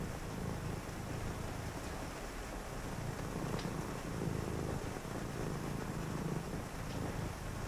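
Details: Purring cat kept close during a quiet reading session on a rainy night, its low throaty rumble steady and rhythmic with slow breath-linked swells, a few faint clicks over continuous rain hiss.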